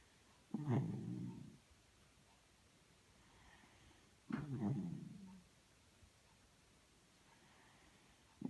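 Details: Miniature Schnauzer snoring while snuggling indoors: two low, rough, rumbling snores, each about a second long and roughly four seconds apart, with a third beginning at the end and quiet stillness between breaths.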